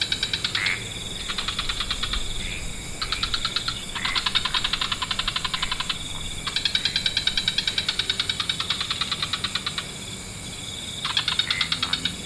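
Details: Many frog species calling together at dusk in lush wetlands: bursts of rapid pulsed trills lasting one to three seconds, starting and stopping in overlapping waves over a steady high hiss.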